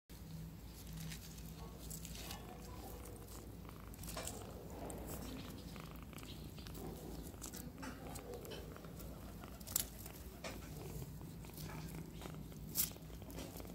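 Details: Tiny kitten purring loudly and sweetly indoors: a steady, low, rumbling vibration that continues throughout, with faint rustling and a couple of brief sharp clicks.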